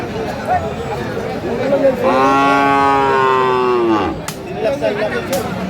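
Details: Bull calf of Friesian or cross breed at Aftabganj cattle market, Dinajpur, Bangladesh, on 16 April 2025, gives one long harmonic moo lasting about two seconds amid crowd chatter and bargaining voices.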